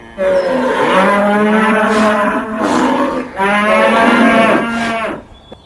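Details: A raging bull gives two long, loud, rich moos with strong harmonics. The pitch stays fairly even through each call, and there is a brief dip in the middle of the first.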